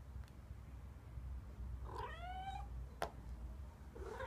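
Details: White cat giving a single drawn-out meow with a clear harmonic stack, rising then leveling off, followed by a sharp click and a fainter call at the end, indoors over low background hum.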